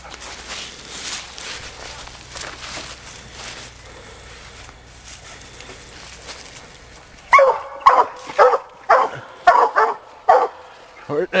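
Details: Sadie, a young female Black and Tan coonhound, on a raccoon hunt. About seven seconds of rustling background noise, then a run of sharp, loud barks in quick succession.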